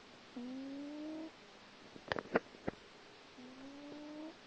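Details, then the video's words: A little grey cat asleep and snoring indoors: two drawn-out, soft, slightly rising tonal wheezes about three seconds apart, with a few sharp clicks in between. "snoring cat"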